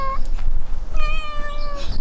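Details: Ragdoll cat, one of eleven kept in a household, gives a brief meow, then a long, steady, slightly falling mew lasting almost a second, with faint background music and room noise.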